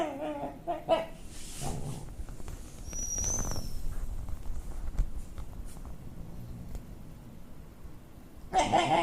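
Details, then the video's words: MoMo, a pet dog, making a strange, unusual noise heard for the first time, recorded 29 May 2013: short tonal, whiny vocal bursts open and close the recording, with low indoor rumble and faint shuffling between them. "MoMo making strange noise"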